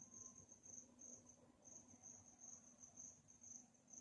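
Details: Cricket chirping at night: a high trill delivered in short bursts separated by brief gaps, over a faint low background hum.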